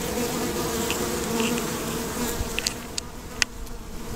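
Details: Colony of honey bees buzzing around their hive box on a farm in Markham, Ontario, filmed nearby with a handheld Samsung WB50F camera. A dense, continuous low drone with a faint whirring of wings, and a few light clicks and taps toward the end.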